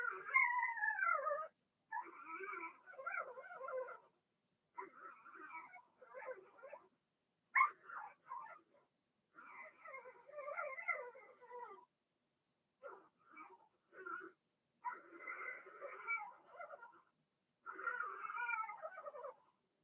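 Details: Indoor pen holding a litter of six Blenheim Cavalier King Charles Spaniel puppies, born March 7–8 and in potty training; repeated wavering, rising and falling whimpers and yelps in quick bursts, some loud and sharp, separated by brief pauses.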